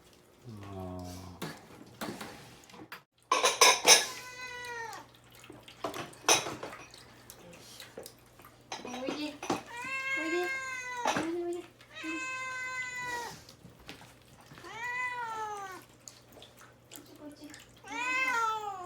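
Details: Domestic cat caged and fasting before neutering, meowing insistently to be let out; several long harmonic meows with falling tails, a woman's voice calling it, clattering of dishes early on, steady low hum.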